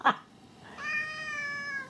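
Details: Siamese cat indoors, vocalizing while its owner talks to it about playing with a horse: after a sharp click, one drawn-out, steady, tonal meow lasting about a second, slightly falling at the end.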